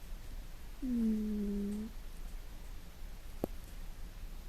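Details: A pet cat snoring loudly at home while deeply asleep: one drawn-out, humming snore lasting about a second. A faint click follows later, with a quiet indoor background.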